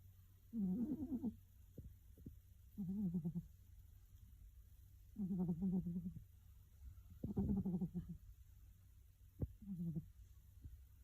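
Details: A female pet cat snoring loudly in her sleep, each snore a rough, buzzy burst lasting about half a second and repeating every two to three seconds, with a steady low hum underneath.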